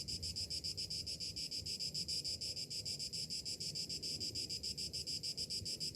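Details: On a summer morning, cicadas keep up a piercing, rhythmically pulsing buzz, fast regular beats without a break, above a quiet low hum.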